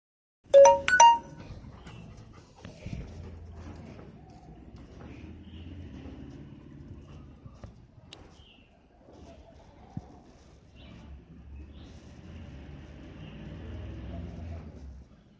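A Rottweiler gives two deep, loud barks in quick succession, then falls quiet.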